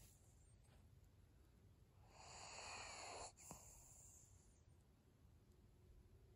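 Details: Maria, an elderly pug, sleeping: a single loud, raspy, snoring breath of just over a second, ending in a small snort, then soft quiet breathing.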